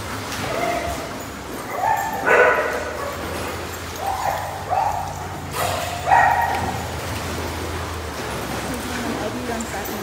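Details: Dogs barking in short, sharp bursts, four or five barks spread irregularly over ten seconds, with human voices and a low steady hum in the background.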